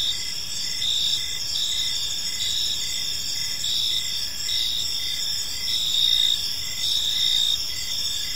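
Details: Crickets in a calm park during the evening, shrill overlapping chirps and trills, intermittent stronger pulses against a steady high chorus, nothing else prominent.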